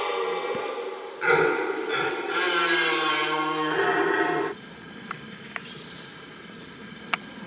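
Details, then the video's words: Rutting red deer in the heart of the rutting ground giving a powerful roar broken into several deep, throaty bursts over three seconds, then quiet with a few sharp clicks and faint high chirps. "Mitten im Brunftkessel - Ein gewaltiges Röhren - in the middle of the rutcauldron Red Deer"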